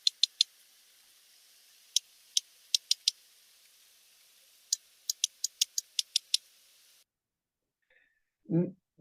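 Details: Two sperm whales alternate codas, patterned bursts of sharp clicks, then make them simultaneously on top of one another, a duet-like exchange thought to relate to social bonds.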